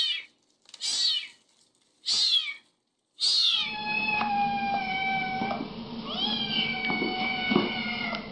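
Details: Kittens meowing: three high, short mews about a second apart, then a longer stretch where a sustained tonal sound runs over background noise with a faint further mew.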